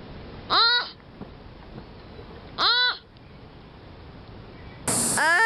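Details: Sloth calling out: two short, arched, harmonic bleats about two seconds apart, each rising then falling, followed by a brighter, higher squeal at the end over a faint background hiss.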